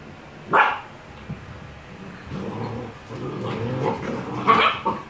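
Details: Gordon Setter puppies, eight weeks old, at play with their mother: a sharp single bark, then soft grumbling growls and mutters, and another short bark near the end.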